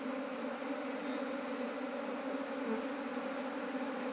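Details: A steady, unbroken hum from managed honey bee colonies, grown to nineteen from one hive within two months. The low drone stays level, with only a short high chirp early on.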